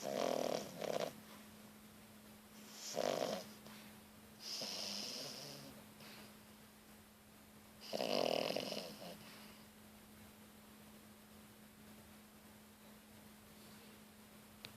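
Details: Louna, a three-month-old French Bulldog puppy, sleeping with eyes open and snoring; raspy, breathy snorts come in uneven bursts every two to four seconds, over a steady low electrical hum.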